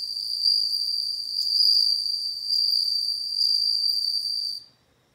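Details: Bell cricket song: a continuous pure ringing trill near a single high pitch with faint overtones, gently swelling and fading in loudness for about four and a half seconds before stopping abruptly; no other sounds.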